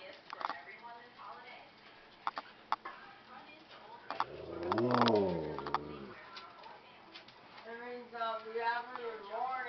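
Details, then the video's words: Pet Husky at night, just after midnight, vocalising to signal that he wants to go out. A drawn-out, wavering howl of under two seconds slides up and down, with a person talking before and after. "How Husky Tells Me He Wants Out"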